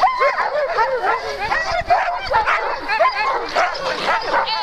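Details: Several Alaskan malamute teams waiting to start a sled race at Metsäkartano Sprint, 4 March 2012, second race day; many dogs yelp, whine and bark together in a steady, wavering din with rising and falling cries.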